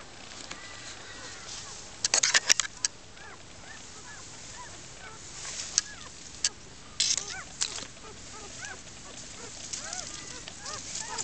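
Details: German Shepherd puppies, a newborn litter of first-time mother Sally, born in the wild in a den under foliage and a mattress frame. Scattered short, thin, arched squeaks and whimpers from several pups, with rustling bursts and a background hiss.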